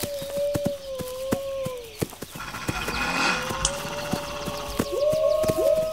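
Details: A steady, level wolf howl runs through the clip while a burst of rushing noise briefly swells in the middle; a second howl rises at the end, with scattered clicks throughout.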